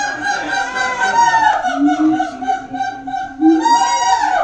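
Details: Loud booming chorus from captive siamangs at Auckland Zoo, New Zealand: dense, continuous overlapping wails and honking notes with upward-sliding tones, rich in harmonics throughout.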